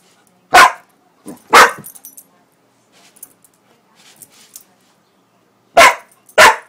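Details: Pitbull-Corgi mix named Lucy, a female, barking at whipped cream. Two sharp barks come early, a quiet lull with faint rustling follows, then two more loud barks close the recording.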